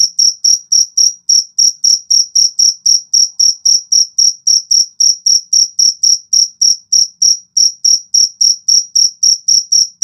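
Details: Cricket, called a jangkrik jago, giving an unbroken run of sharp, high-pitched chirps at an even pace of roughly three to four per second, bright and dominant throughout.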